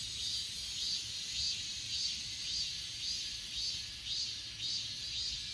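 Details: Insects of the grass on Achasan mountain, captured with an S20 Ultra: high shimmering chorus with evenly spaced pulsed chirps about twice per second, steady throughout, light low-frequency background noise.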